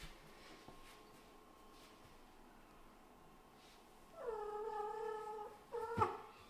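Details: Kitten calling to its owner for praise after a hunt, from a litter of a Scottish Fold mother and British Shorthair father: quiet room, then one long level meow lasting over a second, followed by a brief abrupt mew with a click.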